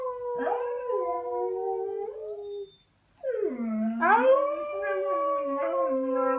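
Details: Domestic dog Pinto howling: a drawn-out howl gently falling in pitch, a short silence, then a new howl starting low, swelling louder and holding with slight wavers in tone.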